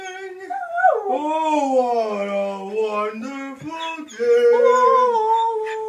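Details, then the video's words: Ziggy, a Samoyed, howls to an advert song he always listens for. A smooth, continuous howl climbs, then sags and wavers for several seconds before jumping to a higher held note. The jingle's singing runs along beneath the dog. "Ziggy the samoyed singing"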